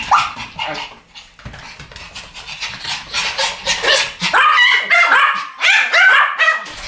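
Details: A pair of Pomeranians barking in duet, high-pitched yaps blending with some whining at first, then louder rapid sharp barks coming thick and fast in the second half.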